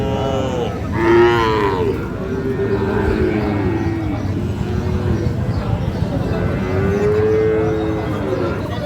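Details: Sahiwal bull calves at Ambari cattle market, Parbatipur, Dinajpur, Bangladesh, 11 May; a series of repeated lowing moos, several arched calls in a row with a louder burst near one second, among people talking.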